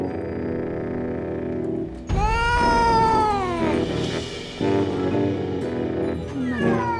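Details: Female domestic cat, once a stray and now living with two beagles, suddenly turning and charging at one of them in anger, as she does at every meeting; a loud, drawn-out yowl sliding downward over two seconds, a shorter cry later, over steady background music.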